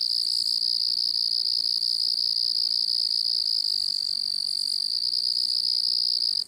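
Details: Crickets chirping at a distance: an unbroken, high-pitched buzzing trill that stays level throughout, with a thin higher ring above it. The sound cuts off abruptly at the very end.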